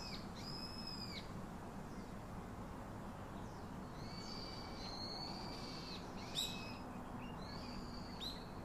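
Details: Baby monkey crying for its father's hug and comfort: drawn-out high, thin squealing wails, several held a second or more with faint lower overtones, separated by pauses, steady background hiss throughout.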